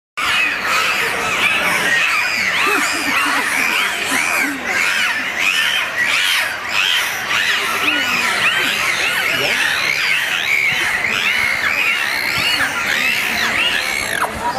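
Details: Dolphins whistle over one another in a dense chorus of high, swooping, rising-and-falling tones while a watching audience stays silent.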